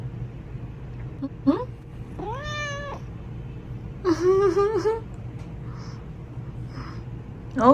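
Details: Sleepy male Japanese Bobtail cat talking back to his owner indoors: a brief chirp, then a drawn-out rising-falling meow and a wavering, complaining meow, mixed with a woman's speech and a low steady hum.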